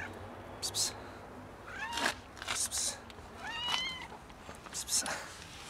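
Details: Meowing cat being raided by a huge white cat: several short harmonic meows in quick succession, some rising and bending, interspersed with sharp rustling or scuffling bursts and faint background hum.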